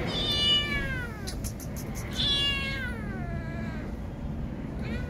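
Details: Young female kitten, scared after her mother cat left, cries with two long, clear meows that slide downward, some faint clicking between them and low background noise throughout.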